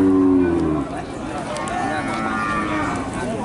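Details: Peranakan Ongole cows, female cattle offered as Brahman feeder stock, give a low moo in the opening second, then fade under a steady murmur of voices and background noise.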